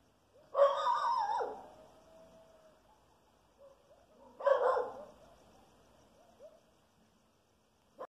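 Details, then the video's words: Coyotes about half a mile away give two brief bursts of high, wavering howls mixed with yips, separated by quiet. "Coyotes howling 1/2 mile away"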